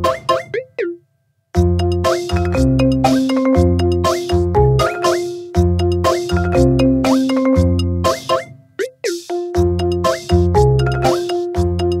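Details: Cheerful background music with bell-like, marimba-style notes over a steady bass beat, with no animal voice.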